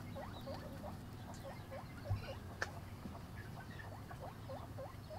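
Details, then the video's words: Eating guinea pig with a run of short hooked squeaks rising and falling, repeated about every half second, plus a couple of sharp clicks over steady low hum. "Guinea pig eating"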